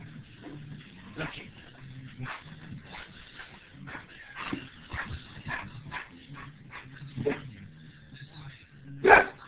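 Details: Pit bull tussling with its owner indoors: a run of short, sharp barks and yips, with one loud bark at the very end, over a steady low hum and some human voice.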